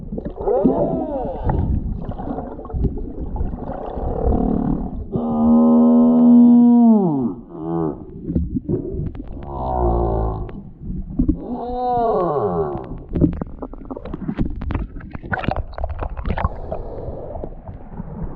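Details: Large male humpback whale singing while circling the Tonga Islands, where he has come to find a mate. The song runs through arching moans, upswept whoops and a long steady held tone near the middle, with pulsed grunts between phrases.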